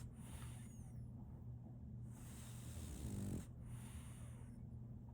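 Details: Sleeping female French Bulldog puppy Solaimy snoring: a long, low rumbling breath that swells into a louder raspy snore near the end, over a constant low hum.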